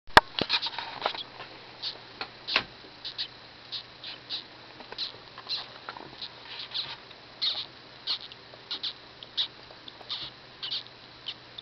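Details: Newborn dwarf hamster pups on their first day, first litter of the pet pair Yin and Yang, inside their cage: rapid high, thin squeaks in short bursts, several a second, with soft rustling and a steady low hum.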